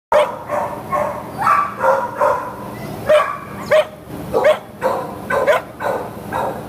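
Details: Terrier in an animal shelter awaiting adoption, recorded 19 July 2015 around midday, barks repeatedly in short sharp bursts roughly every half second to second, mixed with other dogs' barking in a reverberant room.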